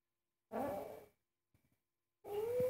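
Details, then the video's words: Very angry pet cat indoors while its owner cooks: a short, harsh growl, a pause with faint rustling, then a tonal yowl that starts to rise. "Angry cat forbids me to cook"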